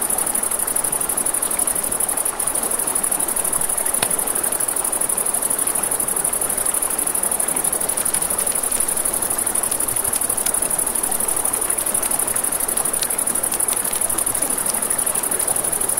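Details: Riverside crickets at night sustain a constant piercing trill from start to finish, over steady water noise, with a campfire crackling and popping, especially in the second half.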